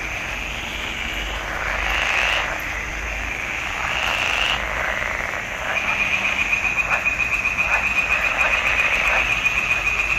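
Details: Swamp pond frogs in June 2021 give a dense croaking chorus; after a smoother swelling stretch, a rapid, regularly pulsed rattling call takes over, repeated several times per second.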